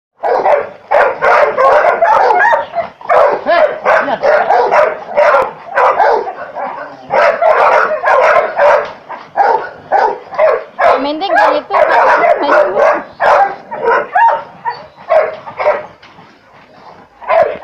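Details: Chocolate Labrador Retriever, an adult male, barking loudly and continuously: deep, rough barks in rapid, uneven runs of roughly two per second, barely pausing and easing off near the end.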